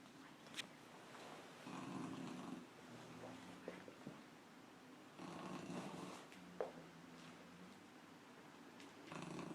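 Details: Puppy snoring indoors, with soft, noisy breathing bursts about every three to four seconds, separated by quieter stretches with faint low hums and occasional small clicks.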